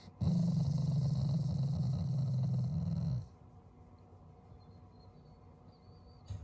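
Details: Pet Shiba Inu voicing a growl as a unique show of affection toward its owners: one steady, low rumbling growl of about three seconds, then quiet.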